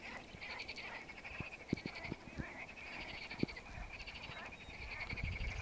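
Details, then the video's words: Frogs singing in a lake, a chorus of rapid pulsed trills repeating in bursts of about a second, with scattered low knocks and thumps underneath. "Frogs singing in the lake"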